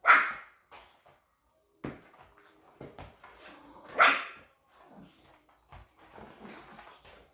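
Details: A puppy that loves its ball gives two sharp, high yipping barks while playing, one at the start and another about four seconds later. Short thuds and scuffling noises fill the gaps in a small indoor room.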